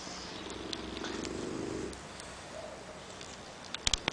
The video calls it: Max Snoring - English Bulldog .MPG